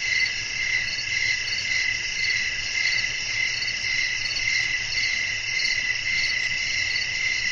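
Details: Nighttime cricket chorus with wind: bright, high, shimmering trills that pulse in a steady beat of nearly two per second, layered over a quiet, low, breezy hiss.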